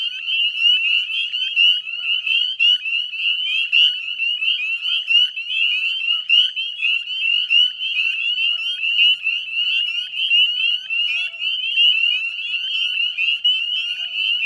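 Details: Northern spring peepers in a dense dusk chorus at the Chezzetcook salt marsh, West Chezzetcook, Nova Scotia, Canada, 18 May 2020 around 9 p.m.: countless high, piercing upslurred peeps overlapping into a continuous shrill ringing, with fainter short trills beneath.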